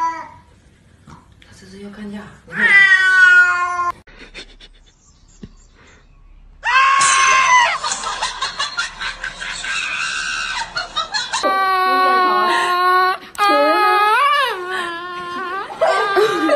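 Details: Domestic cat producing a series of long wavering meows and yowls, some rising and falling in pitch, interspersed with human speech in a small indoor room.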